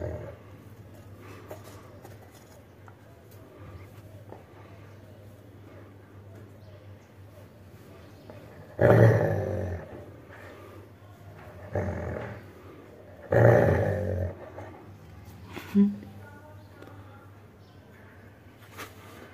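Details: Buzzo, a Labrador Retriever protecting its toy, keeps up a steady low rumbling growl. It swells into three louder snarling bursts midway and a brief higher yelp near the end.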